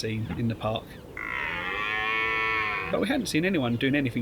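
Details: Rutting red deer at Richmond Park gives one long, steady, bellowing roar lasting nearly two seconds, rich in harmonics, framed by a person talking before and after.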